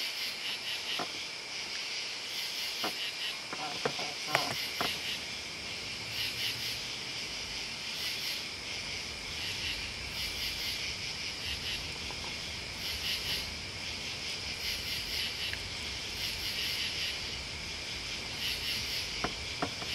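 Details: Chorus of crickets and bugs: continuous high trilling with rhythmic pulsed chirps rising and falling in loudness throughout, and a few scattered sharp ticks and clicks near the start and end.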